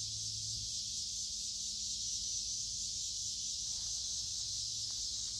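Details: Many cicadas sing along a woodland creek in midsummer on a warm, humid day. Their shrill hiss is steady, high and unbroken throughout, with no pauses or other animal voices.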